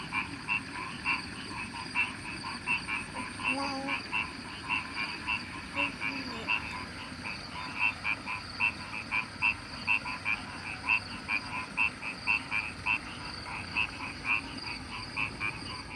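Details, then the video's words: A countryside rice-field frog chorus: rapid, evenly spaced croaks repeated several times a second, layered callers overlapping in a continuous rhythmic pulse. "Sejuknya suara kodok the frog persawahan"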